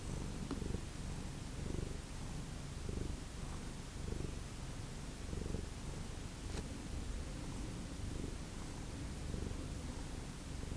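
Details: Purring house cat from a family of rescued ferals, a continuous low throbbing rumble swelling in uneven waves, with a few soft clicks and taps in the background.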